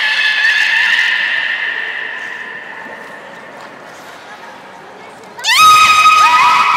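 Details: At the Port of Nagoya Public Aquarium on 16 March 2019, a beluga plays after eating fish: a long sustained harmonic whistle fades slowly, then a sudden upward-sweeping squeal leads into a steady bright tone, with crowd chatter underneath.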